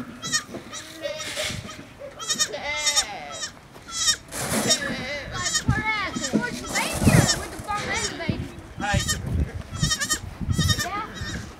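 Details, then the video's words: A baby goat on a farm calls to its mother, which finally comes, with many quavering bleats, some rising and falling, mixed with people talking nearby. "Baby Goat calling his mom"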